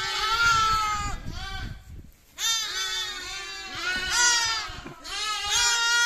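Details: Young lamb calling with three drawn-out tremulous bleats separated by a short silence, the voice bright and buzzy with many harmonics.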